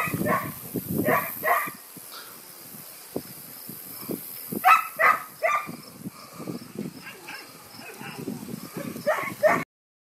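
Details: Vizsla puppies of the Scarlet litter on their first outdoor excursion, giving short high yips and whimpers in scattered bursts, mixed with a woman's cheerful talk to the pups.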